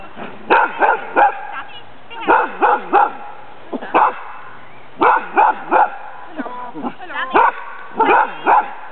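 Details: Barking from Sammy, a friendly, playful female dog with strong hunting drive, at a Danish Kennel Club temperament test, April 2007, facing a ghost costume. Loud barks come in clusters of two or three, separated by brief pauses.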